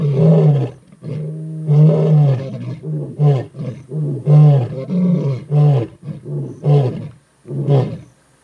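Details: Skorro male lions in the Timbavati, South Africa, roaring to advertise their territory: a long series of deep, throaty moaning roars, the early ones drawn out, then shorter bursts coming faster, ending after a brief pause.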